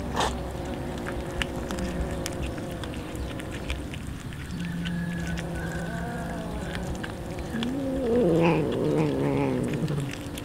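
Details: Many hungry street cats and a kitten eating raw fish at feeding time; a low, steady moan in the middle, then a louder wavering caterwaul near the end, over constant background rumble.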